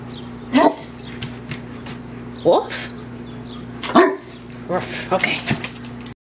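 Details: English Mastiff, indoors with a bad foot and chewing on it, gives short rising yelping barks, three clear bursts spaced about one and a half seconds apart, over steady background hum while a person talks to him about food.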